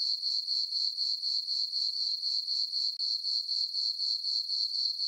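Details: Summer-night crickets in a farm meadow beneath a full moon and dark skies, keeping up a continuous shrill trill that throbs in even beats, roughly four per second, and nothing else is audible.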